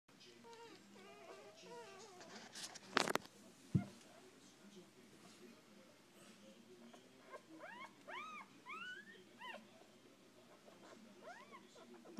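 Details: Six-day-old puppies of a rescued mother dog: thin, high, arching squeaks and whines repeated in clusters, some rising and then dropping. A few sharp knocks come early, with quiet background noise.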